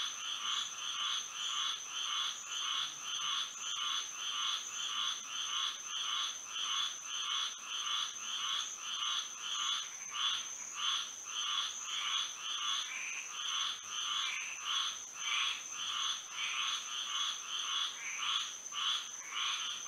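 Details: Many frogs singing through a Florida night under moonlight, a long, steady run of pulsing croaks repeating nearly twice a second, while a continuous high-pitched whine stays level behind the chorus.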